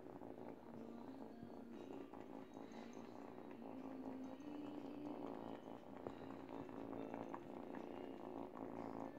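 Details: Kitty, an eight-week-old kitten, chews a baby blanket while teething and purrs; a continuous soft vibrating drone pulses evenly for about nine seconds, with occasional light scuffing from the blanket.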